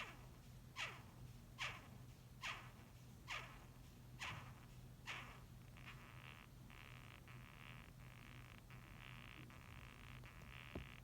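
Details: Japanese rhinoceros beetle squeaking: six sharp grating rasps roughly every 0.85 seconds, then a softer run of rapid buzzy chirring pulses, with a constant low hum beneath.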